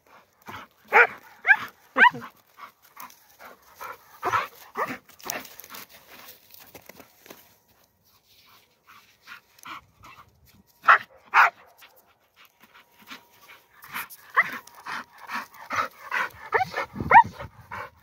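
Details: Aspid, a young, strong standard Bull Terrier, plays boisterously on a walk far from town. Clusters of short, rough barks and whines come in bursts, with panting breaths and quiet pauses between them.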